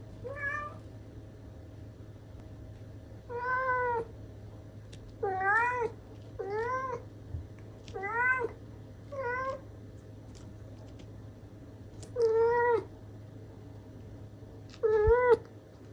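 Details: House cat calls indoors with eight short, bright meows spread over sixteen seconds, each a quick upward-bending chirp, at irregular gaps with a steady low hum beneath.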